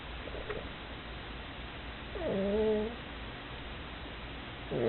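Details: Pug bitch asleep indoors, tired out after playing, snoring. Each breath gives a short nasal whistle-like snore with stacked tones, heard twice in five seconds over a steady room hiss.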